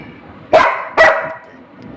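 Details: Labrador Retriever Rimi, a household pet waiting for hot food to cool, lets out two quick harsh barks roughly half a second apart, then low room noise.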